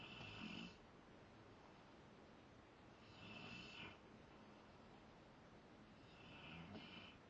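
A Rottweiler snores in slow, rasping breaths that come roughly every three seconds.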